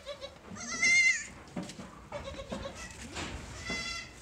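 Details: Sojat and Totapuri goat kids, a newly arrived lot on a goat farm in Pune, India, bleating: a loud, quavering, nasal bleat early on, then several shorter bleats amid overlapping farm noise.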